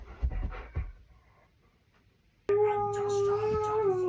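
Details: Pet husky vocalising on an ordinary day indoors: after brief human talking and a pause, a loud, level, sustained howl starts suddenly and holds steady for over a second with a rich tone.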